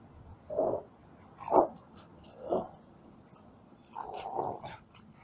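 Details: Yard dog puppies met along the way while travelling, reacting as someone approaches; three short yelping barks about a second apart, then a longer, wavering whine-like call at the end.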